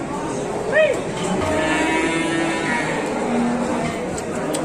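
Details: Calf of domestic cattle: a short rising squeal-like cry followed by sustained, even moos, with voices murmuring nearby.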